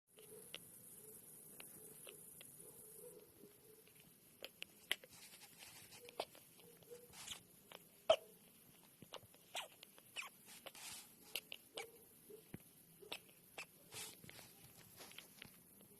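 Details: A baby squirrel that aspirated a raspberry makes faint, clicky squeaks with each labored breath, like a tiny squeaky toy, during his worst moments of breathing trouble.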